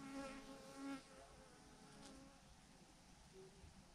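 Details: Thousands of honey bees hanging in a massive clump on a branch: a soft, steady droning hum with layered tones wavering in pitch, slightly louder in the first second, with faint rumble underneath.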